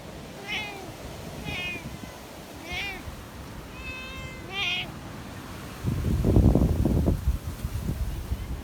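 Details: Community cats on a mountain during a windstorm: five short, bright meows spaced about a second apart, each with a slight rise and fall, followed by a loud roaring gust of wind near the end.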